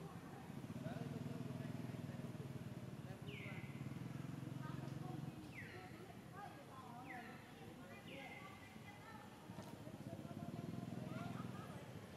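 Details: Newborn monkey Lexi playing around her mother Sheba while she grooms, among monkeys living around a temple in Cambodia; four short high squeals sliding downward, spread through the middle of the clip, over a steady low engine-like rumble and background noise.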